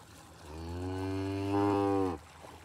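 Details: Red Angus cow seen close up, giving a single long, steady moo with rich stacked harmonics, swelling louder toward the end before stopping abruptly after about two seconds.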